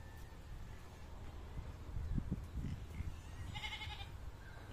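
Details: Boer goat buck named Baki on a farm lets out a brief, tremulous bleat near the end, after thumping and shuffling noises and a low steady hum.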